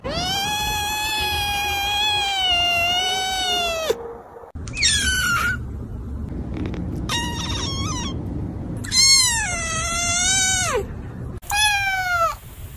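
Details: Kitten meowing repeatedly: one long sustained cry of nearly four seconds, then a run of shorter, higher, quavering meows and a final drawn-out call that slides down in pitch.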